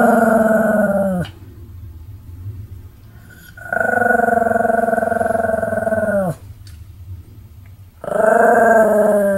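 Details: Sam, a Pomeranian dog, in a run of continuous barking dated 7 October 2015: three long, drawn-out, harmonic, howl-like cries, each one to two and a half seconds, with a rough, pulsing growl texture and quiet gaps between them.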